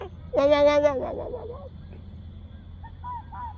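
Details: A wandering red fox gives a single loud, nasal, honking call, flat then dropping, that sounds oddly like a bird.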